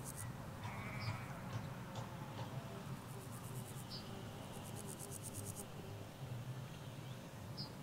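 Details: Ewes and lambs in a field in the Hampshire countryside, recorded in stereo from halfway along a hedge; a short harmonic bleat early on, then quieter murmurs over steady low road rumble and brief high bird chirps.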